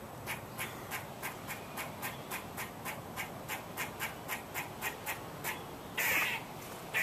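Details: A squirrel making a fast run of short, dry clicking notes, about three per second, followed near the end by one longer, louder raspy bark.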